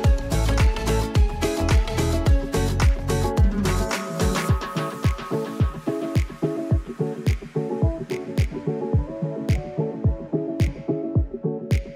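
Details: Upbeat funky dance track with a punchy repeated beat and bass that thins out halfway, with no animal sounds.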